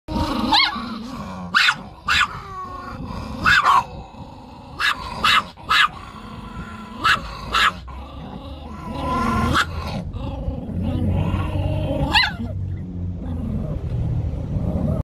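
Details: Chihuahua, female, guarding her property: low rumbling growls run through the clip, broken by several short sharp barks in the first eight seconds, then a steadier growling rumble toward the end.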